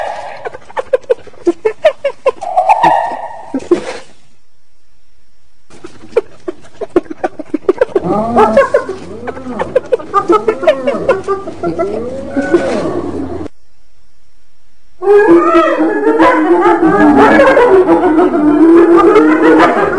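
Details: Hyena vocalising with rapid clicking and chattering, then a long run of repeated arched, whooping cries, ending in a dense overlapping stretch of harmonic yelps and giggles.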